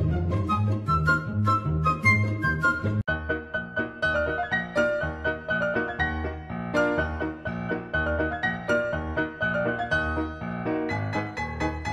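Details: Piano music plays throughout, a classical-style keyboard melody over steady low chords with a brief break near three seconds. No animal voice is heard.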